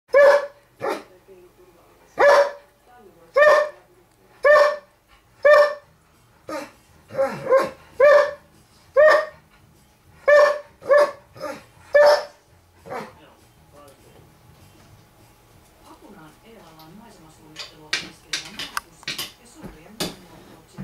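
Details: Borzoi Milka barking at her owner because her toy is stuck under the table and she can't reach it; about fourteen sharp, ringing barks spaced roughly a second apart for twelve seconds, then quieter rustling and a faint voice.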